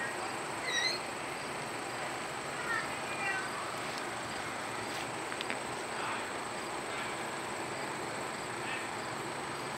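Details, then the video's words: Justin, a male red panda at Potawatomi Zoo in South Bend, Indiana, perhaps mad after Raya evicted him from his sleeping spot, lets out a few short high squeaks in the opening seconds, then a faint, thinner run, over a steady hiss. "Still Squeaky Red Panda"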